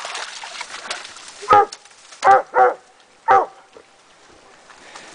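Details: Coon dogs Rocky and Tonka hunting in Idaho during 2011 at midday, near a tree: four sharp, full barks in an uneven run, the middle pair close together, then quiet with faint outdoor noise.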